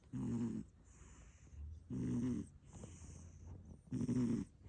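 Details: A short-legged American Shorthair cat snores indoors, pulling a funny face while asleep. Three regular rasping snores come about two seconds apart, each a low buzzing breath of about half a second, with quiet gaps between.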